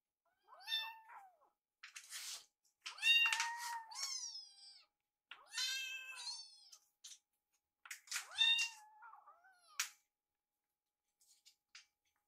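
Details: Rescued kittens in a quiet room, waiting together by a microwave as their food warms. About five high-pitched, slightly wavering mews come one after another, separated by short pauses.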